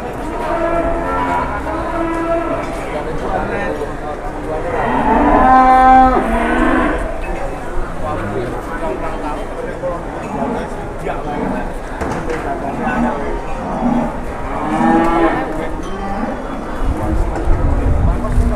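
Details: A loud, long, harmonic-rich moo swells midway through, with softer lowing before and after, from cattle at the busy Pasar Jelok market in Boyolali, Indonesia, where a huge cow is on show; crowd chatter and rumble underneath.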